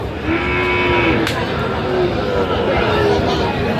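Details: Sahiwal bull calves at a busy cattle market on 25 October 2025: a drawn-out, steady low moo lasts almost a second, then shorter fainter lowing follows, while men's voices and market chatter run throughout.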